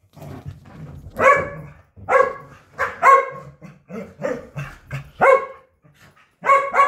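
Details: A Corgi playing fetch gives a series of sharp, bright barks with soft grumbles between them, amid laughter.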